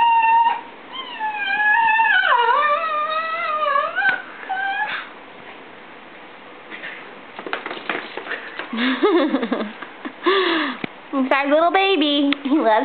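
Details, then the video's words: Mixed-breed pet dog, Italian greyhound and miniature pinscher cross, 'singing' to its owners indoors: wavering, whining howls rising and falling in pitch, then breaks with choppy yips and short vocal bursts. "Louie 'singing'"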